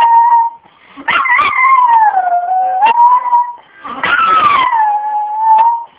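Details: A pet dog howls along with a harmonica being played, its long wavering howls gliding downward in pitch and rising again, over the steady held harmonica notes, in two main bouts.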